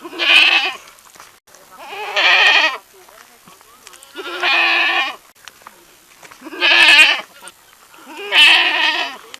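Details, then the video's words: Repeated bleats from a young goat: five loud, trembling nasal cries, each about half a second to a second long, coming roughly every two seconds with short quiet pauses between. "efeito sonoro de cabrito - sound effect goat"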